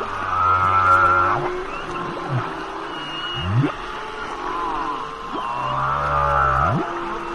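A humpback whale sings long low moans mixed with harmonic wails and sharp upswept whoops.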